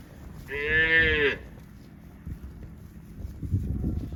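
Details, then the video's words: Cow mooing while eating grass: one short, loud moo under a second long, rich in harmonics, swelling then dropping off, followed by quiet low rustling and scattered soft thumps. "Cow mooing, sound of Cows eating grass"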